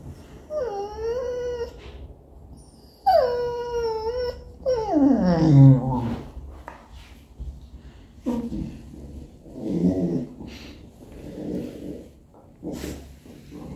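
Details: Pet English Cocker Spaniel at home, trying to attract attention and impatient: two long high whines stepping down, then a wavering howl sliding downward, followed by shorter yips and whimpers over steady background hum.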